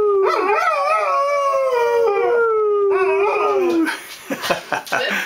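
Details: Pet dog getting in the last word with a howl: two wavering, gently falling howls, the second trailing off, followed by people talking.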